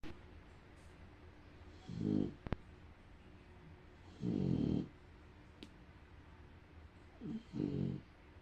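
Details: A female bulldog fighting off sleep and finally napping snores in deep, rattling bursts, each breath a low gravelly rumble of about half a second, in a slow, uneven rhythm with quiet room noise and faint clicks between.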